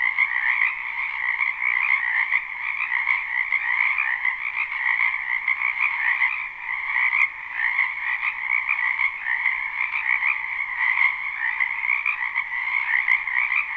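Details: Many frogs croaking in a wetland in spring, recorded live without looping: a dense, continuous chorus of trilling calls in two steady bands, one mid and one higher, pulsing gently with no pauses and no other sounds.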